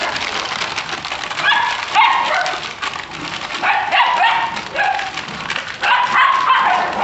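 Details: Jagdterrier in Brazil letting out repeated high, tonal yelps and whining yips in bursts roughly every two seconds over a rough, noisy background.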